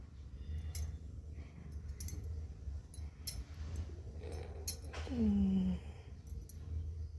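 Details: Mufasa the cat, lying on a shelf and answering its owner: a low, drawn-out meow that falls in pitch, preceded by scattered clicks and rustling in a quiet indoor room.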